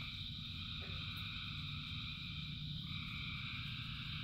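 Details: Thousands of frogs calling in the rain: a dense, unbroken chorus of steady overlapping trills in several pitch layers, over continuous rain hiss and a low rumble.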